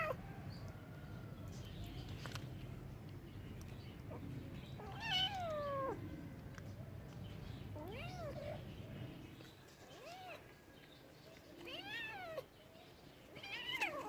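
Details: Domestic cat meowing several times, each call an arched, rising-then-falling wail, the longest a drawn-out descending cry, the rest shorter and spaced a second or two apart, over a low rumbling background in the first half.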